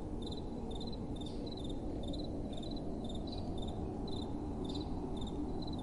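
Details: Crickets at night, heard as short, high, doubled chirps repeated about twice a second in a steady rhythm, over a loud, soft rushing wind that fills the low range.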